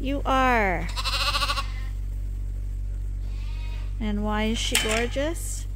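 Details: Farm lambs being topped up on a hand-made bottle feeder bleat in quick succession: two wavering, falling bleats open the recording, a pause follows, then a pair of harmonic bleats returns near the end, with voices and a constant low hum.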